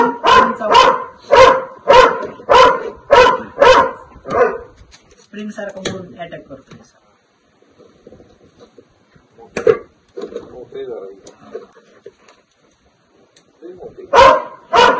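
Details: Barking dog faces a Russell's viper: a fast, evenly spaced burst of loud barks opens, then Marathi voices and rustling, with single barks returning near the end.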